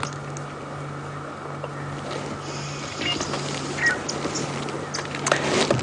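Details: A steady vehicle hum with a low engine drone, some faint clicks and brief bursts of noise, with no clear animal calls.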